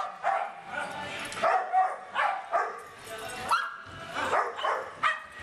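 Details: Several small dogs bark in short, sharp bursts, roughly seven barks spread unevenly over about five seconds, with overlapping yappy calls and faint background voices.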